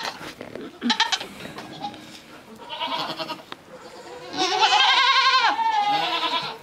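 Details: Miniature goat kid, small at birth and adopted by her mother only after several days, following a person to go suckle; a long, loud, wavering bleat near the end after fainter bleats and bumps.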